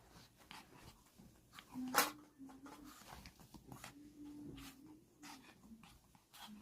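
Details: A Chihuahua dog play-fighting its own foot indoors gives one sharp, explosive sneeze, followed by soft low whines and snuffling grunts, with light scratchy rustles throughout.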